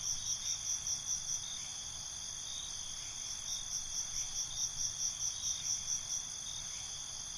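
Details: Crickets chirping at night in binaural ambience: an unbroken shrill trill with pulsing chirp sequences at the start and again from about three seconds on, beneath a high fast-ticking series near the middle.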